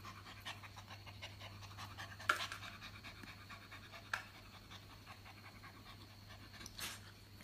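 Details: Playful, hyper Japanese Spitz puppy breathing in soft, rapid pants, broken by two sharp clacks and a low steady hum in the room.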